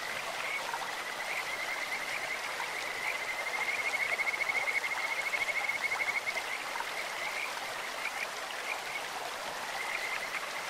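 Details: Clear-stream Kajika frogs, voices resembling a bird or insect: scattered high whistled notes, then a sustained rapidly pulsed trill for about two seconds near the middle, with further distant trills and the hiss of running water.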